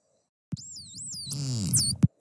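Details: A dolphin, one of several whose whistles are compared, gives a high, wavering whistle that swoops up and down, then rises into a long arch.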